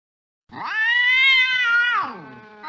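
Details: A single drawn meow from a cat hunting a mouse late at night, rising gently, holding steady for over a second, then trailing downward.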